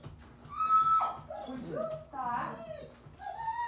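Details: Three puppy sisters wrestling together; high, whining whimpers and short yelps that glide up and down, overlapping in a busy, playful scuffle.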